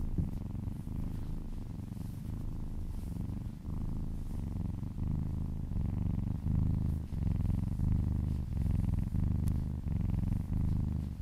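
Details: Contented kitten purr recorded indoors as the little cat is massaged and licks an arm; low throbbing rumble pulsing with each inhale and exhale, roughly one and a half breaths per second, steady throughout.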